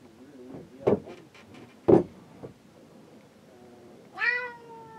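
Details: Boat cat shut inside the cabin, crying to be let out while men work on the deck: dull knocks and thumps, then one loud, drawn-out, falling meow rich in overtones near the end.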